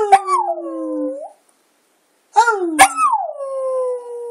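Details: Border Terrier kept as a pet, moaning and howling in what its owner calls singing; two mournful falling howls separated by a silent pause, the second opening with a sharp yelp before sliding down and holding steady.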